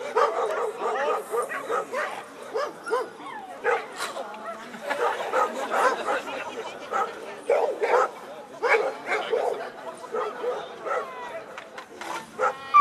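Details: American Staffordshire Terrier, eleven years old, barking at a German protection dog exhibition during a VPG demonstration; rapid, irregular barks come in bursts, with applause, music and a crowd in the background.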